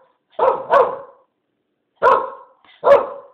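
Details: Blue, a pet Keeshond excited at the question about going outside, which she takes to mean a walk to the park, barks four times in two quick pairs, deep and rough, indoors.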